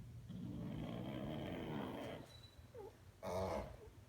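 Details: A sleeping Pug snores with a low, rumbling, buzzy drone for about two seconds, followed by a faint squeaky wheeze and a brief louder snort.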